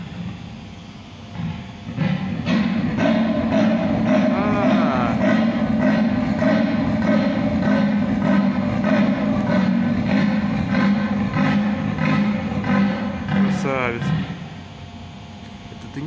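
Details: A male leopard calls to a sleeping female in a serenade, a steady series of low, hoarse, rasping strokes.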